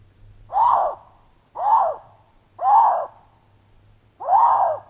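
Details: A male Canada lynx, searching for a female after she and her three kittens left scent nearby, gives a breeding call: four arched, moaning yowls, each under a second, repeated about once a second over a low hum.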